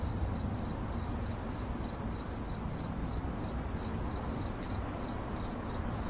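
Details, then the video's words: Single shrill, pulsing cricket chirp in 8D audio, repeated steadily in short bursts at a constant high pitch, set against a dull low-frequency background hum. "CRICKET CHIRPING"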